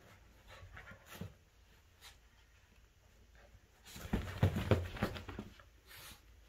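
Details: Shih Tzu and Corgi mix dog named Captain, indoors in a small room, in a fierce play battle with a toy shark called Jaws; a burst of quick, rhythmic panting and snuffling breaths with scuffling, about three per second.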